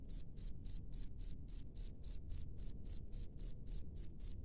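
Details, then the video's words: Wild cricket recorded in open nature, giving a steady train of sharp, high-pitched chirps about four per second, evenly spaced and loud, with only a faint low rumble behind. "SUARA JANGKRIK LANGSUNG DARI ALAM BEBAS"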